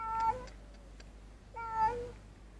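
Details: Street cat in a group of street cats being fed and eating together; two clear, harmonic meows, the first short and falling, the second longer and drawn out, over a low steady background hum.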